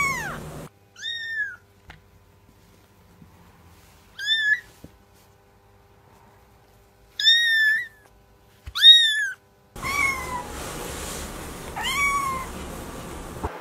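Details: Kittens giving short high mews, each a quick rising-then-falling squeak, spaced by silent gaps of one to three seconds, with a pair in quick succession near the end over a noisier background.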